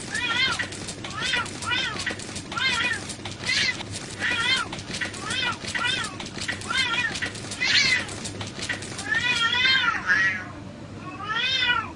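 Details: Domestic cats fighting: a rapid series of harsh, wavering yowls that rise and fall, repeating about every half second, ending in longer drawn-out wails.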